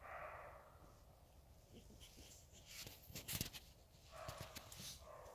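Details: Roe deer giving hoarse, rasping barks, one at the start and another about four seconds later, with sharp clicking and knocking noises in between.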